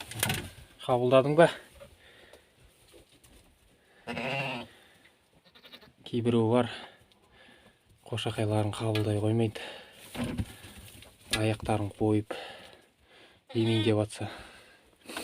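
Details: Hissar sheep ewe that has just lambed, kept with her newborn lamb in a warm spot in an old bathhouse. She gives about seven wavering, quavering bleats in short bursts, spaced one to two seconds apart, with quiet pauses between them.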